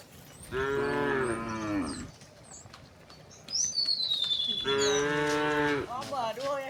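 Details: Two drawn-out, rich moos about three seconds apart from a herd of dozens of tame cows walking a path to a grassy green hill. A thin, falling bird whistle sounds between them, and soft rural ambience fills the background.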